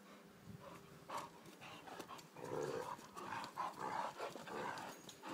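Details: Two three-year-old Irish Wolfhounds, Connor and Margo, at play: rough, rumbling growls come in several overlapping bursts, rising and falling in loudness, with scuffling and panting between them.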